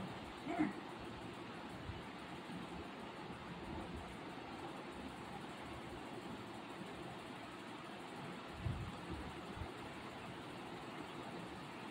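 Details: Steady low indoor hum with faint, indistinct voices and a couple of soft knocks; no animal call stands out.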